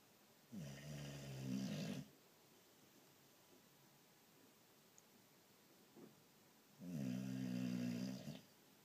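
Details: Sleeping boxer dog snoring like crazy in a small room, two drawn-out, throaty rattling snores, each about one and a half seconds, separated by a quiet gap of several seconds.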